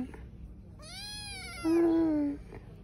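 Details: Persian kitten at a pet shop in Chandigarh, giving one drawn-out meow of about one and a half seconds that starts thin and rises, then turns into a louder, steady, slightly falling tone, over low indoor hum.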